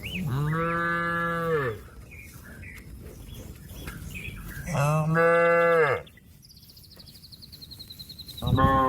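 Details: Cow calling its companion, which is eating grass, to come back to the shed: two long, steady, deep moos about three seconds apart, and the start of a third, with bird chirps and a buzzy trill in the pauses.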